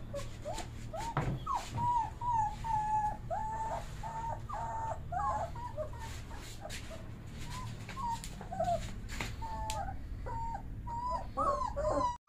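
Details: Bully Kutta puppies whimpering: a steady run of thin, tonal whines, some rising and falling, overlapping as several young dogs cry at once, over a low rumbling background hum and occasional knocks.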